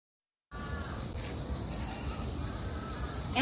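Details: Crickets calling in the spring month of Chaitra, heard continuously from dawn until the evening call to prayer; a steady high-pitched shrill drone runs unbroken through the clip, with faint low background noise.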